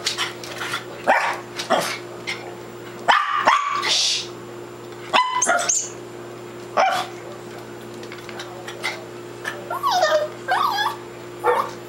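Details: Roxy, a female dog newly added to the family, on her first weekend at home, barking while playing with her toys: a few short sharp barks and yelps at irregular spacing, then a whiny squeal, over a steady electrical hum.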